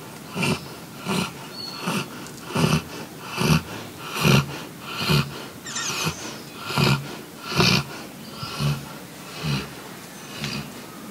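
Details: Golden retrievers deeply sleeping and drowsy on a heavy-rain day, snoring: a steady run of about thirteen rasping, breathy snores, one roughly every 0.8 seconds, each a soft low rumble with a hissy top.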